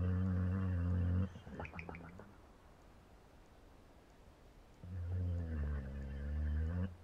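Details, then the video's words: A dog asleep in a small room gives deep, throaty snores that buzz for a second or two, then a quiet stretch of breathing before the next rough rumble returns. "Funny Dogs Snoring Compilation"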